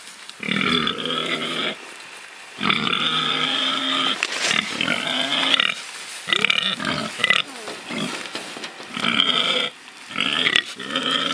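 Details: Pigs rooting and truffling in freedom: long harsh squeals lasting one to three seconds, with bursts of shorter grunting squeals between them.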